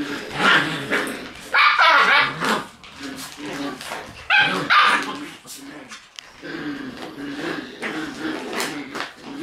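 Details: Shiba Inu puppies in their puppy room on June 13, squabbling over a bag accidentally dropped from above: bursts of yappy, harmonic yelps and growls around the struggle, mixed with bag rustling and a person talking in Japanese.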